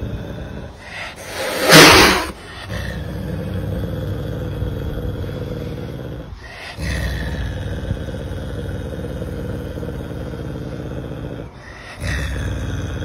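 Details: Caracal named Pumba hissing to protect a friend: one harsh, breathy burst of about half a second near the start, then a steady low engine-like hum.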